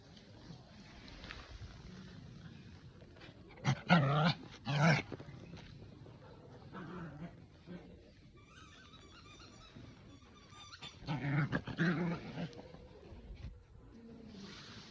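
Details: Pomeranian-Chihuahua mix male dog playing ball excitedly at a dog run makes monster-like vocal bursts: two clusters of short, rough growly yelps, separated by quieter stretches with faint background noise.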